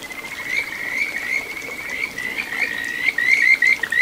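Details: Kajika frog in a little satoyama stream at Ichihara, Chiba, Japan, June 9, 2022: a continuous, high, warbling trill that breaks at the end into quick rising chirps.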